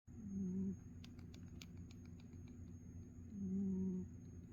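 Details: A pet cat snoring softly: two low, rough breaths about three seconds apart, each lasting under a second, over a quiet indoor hum.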